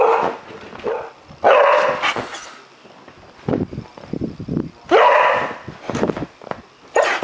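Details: Prospect the dog, awake in the middle of the night and angry at a cat sitting outside his window, lets out loud harsh barks at about 1.5, 5 and 7 seconds, with lower grumbling sounds in between and a person talking.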